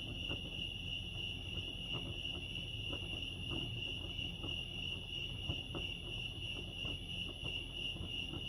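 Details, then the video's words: At Lake Arrowhead in California, crickets keep up a continuous high-pitched pulsing trill at an even level throughout, with a low background hum and occasional light clicks underneath. "crickets chirping lake arrowhead"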